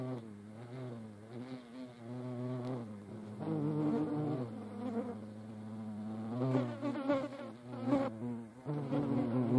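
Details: Buzzing of European hornets locked in a fight with each other, a deep harmonic hum that rises and dips unevenly, with louder wavering surges near the end as the hornets grapple.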